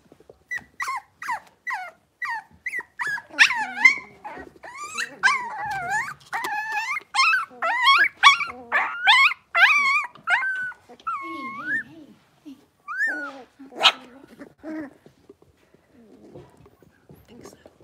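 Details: Blenheim Cavalier King Charles Spaniel puppies, six weeks old, a litter of five in a home puppy pen: high, wavering whines that rise and fall, crowded together in a long run, then thinning out to scattered softer whimpers and quiet rustling.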